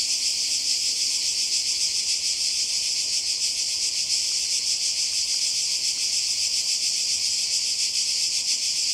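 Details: Cicadas by the sea in Croatia during summer 2020, their shrill, continuous high buzzing holding steady throughout with a faint rapid pulsing and no pauses.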